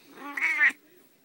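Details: A pet Siamese cat giving a single loud, drawn-out meow lasting under a second, strained and nasal with bright upper tones, in a quiet indoor room.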